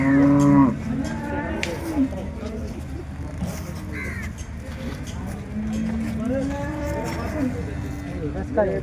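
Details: Holstein Friesian cows at a busy cattle market in Loni, late December 2025: a short loud moo opens, then a longer drawn-out lowing call midway, with other cattle lowing faintly against background chatter and noise.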